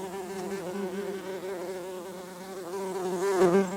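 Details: Worker bumblebees flying back into their nest after a disturbance. A deep, continuous droning buzz that wobbles slightly, growing louder toward the end with a brief rasping burst.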